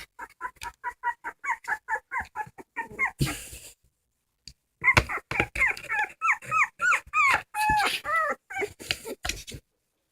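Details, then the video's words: Dog crying with quick, regular whimpers, then a pause and a thump. Louder, longer pleading whines follow, some sliding upward and then dropping. "Funny dogs crying"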